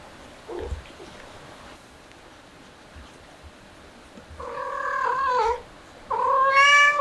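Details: Stray cat from a family with kittens during a hot summer: a quiet stretch, then two loud, drawn-out harmonic meows, the second higher-pitched and rising at its start.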